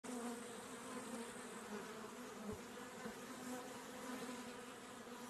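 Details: A honey bee close up, drinking honey, hums steadily, a low droning buzz with a clear fundamental and bright overtones.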